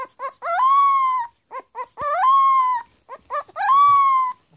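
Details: Pomeranian puppy trying to bark, producing three drawn-out sung howls, each rising then holding steady for about a second, broken up by short clipped yips in between.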